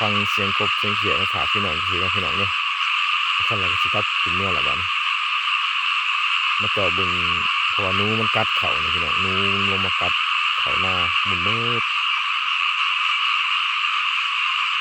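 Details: Many small frogs calling in a rice field: a dense, steady, high-pitched chorus runs throughout, broken by bursts of low, throaty, harmonic croaks given in quick rapid series with pauses between groups.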